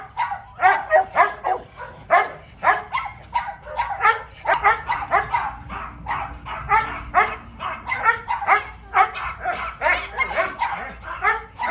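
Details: Small dog in play with a garden hose, one of the household dogs Simba and Mayo. Rapid runs of high yelping barks come in dense clusters, with only brief pauses between bursts.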